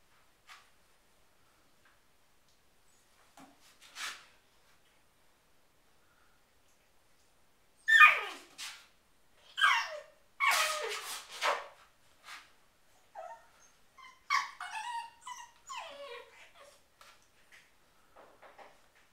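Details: Harvey, a pet dog, battling his toy sheep in bed indoors: scattered short whines and yelps with a few sharp barklike bursts around the middle, separated by quiet pauses in a small room.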